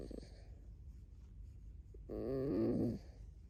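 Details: Pet fox Alice, a red fox living in a home alongside dogs, lets out a loud, wavering, nasal squeal of about one second, pitch wobbling up and down, after a quiet stretch of indoor background noise.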